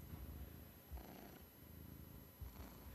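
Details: Domestic male cat purring at home during a hot summer week: a quiet, steady low rumble of rapid pulses, with faint room hiss and no speech over it.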